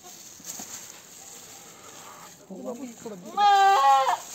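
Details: Goat during a rescue operation in which a kid is delivered from its mother's belly; after quiet rustling and low voices, a loud, wavering, harmonic-rich bleat lasts under a second near the end.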